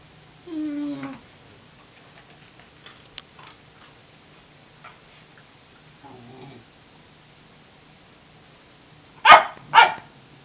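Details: Tamaskan puppy Wave, asserting dominance over a Norwegian Elkhound's food, opens with a short descending whine, a long quiet stretch with faint rustles and a soft grumble, then two quick loud barks.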